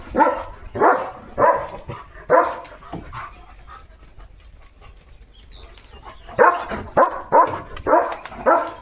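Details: A domestic German Shepherd keeps barking in the courtyard where sparrows nested; a burst of about five rapid barks, a quiet spell of several seconds with faint background noise, then another quick run of barks.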